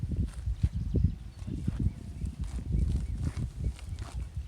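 Dairy cows chew and tear at grass with a steady run of low, muffled crunches and soft thuds. The rhythm is uneven, with bursts of quick bites between brief pauses.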